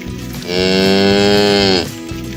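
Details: Cattle roaming the fields in the village countryside, calling their herd-mates to come home to the barn: one long, steady, richly harmonic moo lasting over a second, fading at the end, with faint rural background noise.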